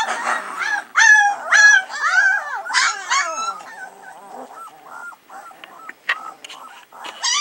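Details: Three-week-old Alaskan Malamute puppies whimpering and yelping: loud, rising-and-falling whiny squeals in quick succession early on, then softer, thinner whines and short squeaks, several pups calling at once.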